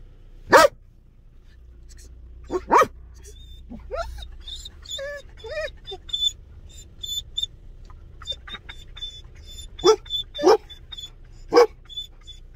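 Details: Belgian Malinois guard dog barking in warning: single loud sharp barks spaced irregularly, with quieter whines and faint human voice and a thin high whistle-like tone in between.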